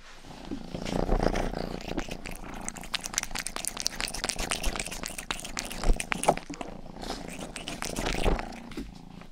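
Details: Youngest house cat Rang purring and ear-licking for ASMR: a dense, steady low purr runs the whole time beneath fast, wet, clicking tongue strokes that come in close bursts, loudest around six seconds.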